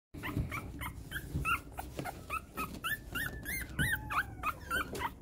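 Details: Several Pomapoo puppies, a Poodle × Pomeranian mix, whine indoors with short, high, arching squeaks and whimpers in quick overlapping series. A few soft thumps sit underneath.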